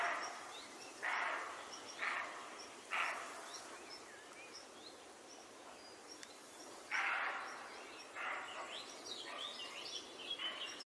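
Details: European roe deer (Capreolus capreolus) barking in a meadow, possibly answering deer barking in nearby woods: a series of hoarse, gruff barks about one a second, with faint birdsong behind.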